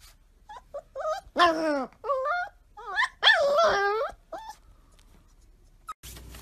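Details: Golden Retriever puppy discovering the world, giving a run of high, wavering whines and short yelping barks that rise and fall, several loud cries clustered in the middle, indoors, ending with a brief thump.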